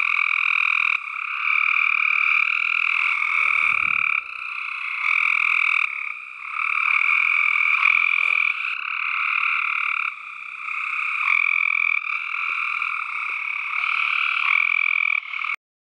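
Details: Tree frog chorus, a relentless harsh, rapidly pulsed croaking from many animals at once, swelling and easing in loudness every few seconds, with a brief low thump at about four seconds before it cuts off abruptly at the end.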